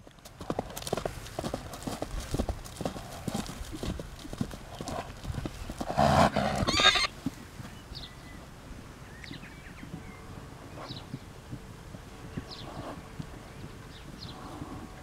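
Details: A stallion with neighbouring fillies: steady clip-clop of hooves throughout, broken midway by one loud, harsh, roughly one-second neigh-like burst, then quieter hoof steps with faint high chirps in the background.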